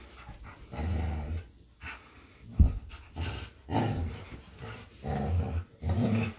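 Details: A Samoyed, Luma, and a Keeshond, Zuko, wrestle over a squeaky toy outdoors. Deep, throaty growls come in short pulses about once a second, mixed with huffing breaths.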